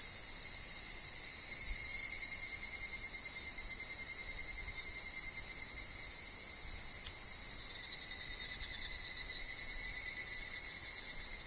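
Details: Higurashi, evening cicadas, calling in a forest where wind and falling leaves are also heard: a dense, unbroken high-pitched shrill chorus with bright bands and a thin steady tone below, holding level for the whole stretch.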